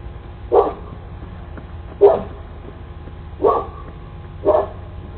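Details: Cane Corso dog barking at a delivery worker approaching the door in the United States; four short, deep, forceful barks at intervals of about one to one and a half seconds, low background rumble between them.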